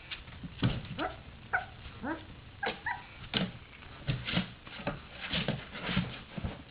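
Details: Three-week-old puppies from a dog's third litter, just starting to stay awake and play, giving short high whimpers and yips with rising and falling tones, scattered across the clip amid scuffling and thumps.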